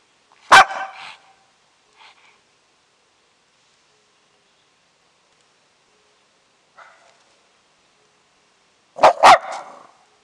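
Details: Shih Tzu answering with barks when called: a sharp bark, a few soft calls between long quiet gaps, then a quick double bark near the end.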